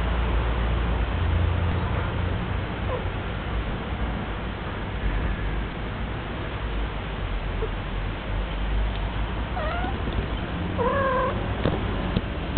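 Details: Pet female cat during her first heat: after a long stretch of low rumbling household noise, a few short rising meows come near the end, then a fuller, wavering yowl.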